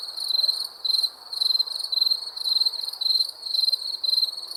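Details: Crickets chirping at night in high, ringing bursts with brief gaps between them, loud and steady, backed by quiet hiss.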